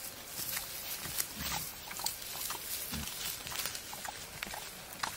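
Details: Wild boar male pursuing a female in the wild: two or three deep, short grunts stand out over loud rustling, twig snaps and trampling in the brush.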